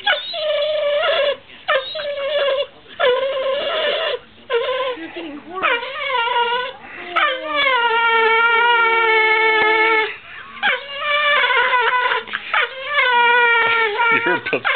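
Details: A whippet pleads for veggie dip with a long singing performance: choppy whimpers give way to sustained, wavering howl-like notes held several seconds, then more broken whines, with a person talking over it.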